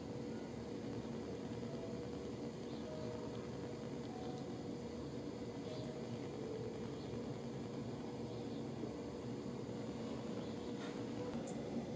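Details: Steady low indoor hum with faint scattered clicks and no animal voice.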